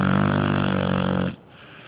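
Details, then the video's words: Sleeping dog snoring loudly: a sustained, rattling, buzzy drone lasts over a second, then breaks off abruptly into near silence. "Dog Snoring SOoooo loud"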